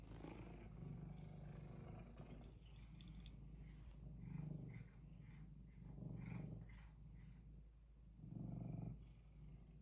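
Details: Domestic cat set on getting what it wants gives a low, throaty purr that swells into louder rumbling bursts about every two seconds, with quieter stretches between them.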